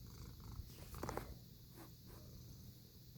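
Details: Lucy, a pet cat, purring: a soft, low, steady rumble throughout, with a brief brighter rustle or click near the middle and faint background hiss.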